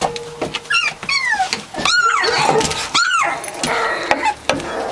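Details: Very young Catahoula Leopard Dog puppies, three weeks old, from the Dixie and Beau litter: loud arching cries that climb then drop, several in quick succession, mixed with softer whimpers and small grunts at close range indoors.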